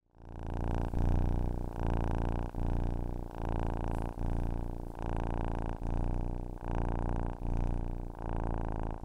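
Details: Domestic cat purring close up: a deep, steady rumbling drone with rich low harmonics, broken by short breath gaps about every 0.8 seconds, giving a rhythmic pulsing of roughly eleven cycles. No other sounds.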